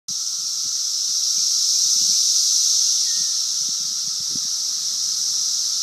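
A cicada sings a steady, high, hissing buzz that runs on without a break.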